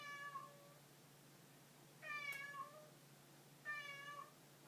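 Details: A pet cat meows three times in under five seconds: short, bright, harmonic cries with a small upward bend at the close, separated by brief pauses in a quiet room.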